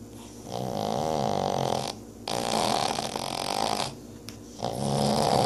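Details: Two deaf Boston Terrier sisters snoring, with long, rattling, nasal breaths that come in slow, steady waves.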